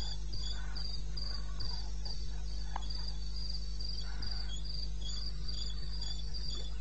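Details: Crickets chirping through the night in eastern Botswana, 21 May at 02:30: spaced bursts of high pulses, a fainter answering caller, scattered soft ticks and a steady low-frequency hum in the background.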